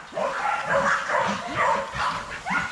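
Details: Young Rottweilers in a kennel exercise yard, barking in a quick series of short, overlapping woofs, several dogs calling at once with little pause between barks.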